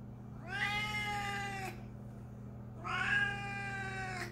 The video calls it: Siamese cat meowing crazy loud